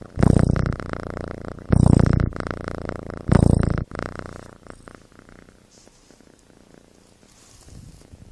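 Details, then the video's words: Kitten snoring in its sleep, three loud, low, rattling breath bursts about every one and a half seconds, then the sound drops away to near quiet. "Snoring Kitten"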